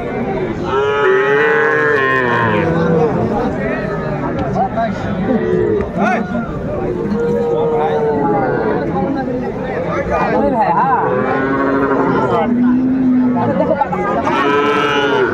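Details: Small Sahiwal bull calves bought by Dhaka farmers on 11 February 2025 give a long series of plaintive, arching moos of varied pitch from several animals, with talk and crowd noise around them.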